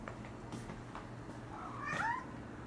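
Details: A pet cat that cries for hair ties it loves to play with; a single soft, drawn-out meow near the end, over a low steady hum indoors.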